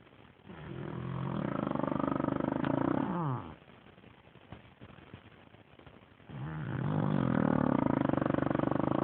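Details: Gertie, a sleeping dog, snoring: two long, loud rasping snores with a low harmonic rumble and gurgling texture, separated by a quiet breathing pause of about three seconds.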